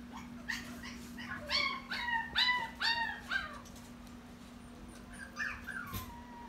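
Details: Toy Poodle at a pet shop lets out a run of high, falling yelping whines, about two per second, then a pause and a few softer drawn-out whimpers, with a constant low hum behind.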